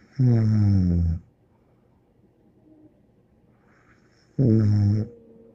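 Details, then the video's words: Bear the dog snoring: deep, rumbling, harmonic snores about a second long, two of them roughly four seconds apart, each followed by a soft airy breath, in a quiet room. "More angel Bear Snoring"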